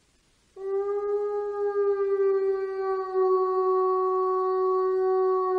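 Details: A gray wolf gives a long, steady, mid-pitched howl that holds one note with rich overtones.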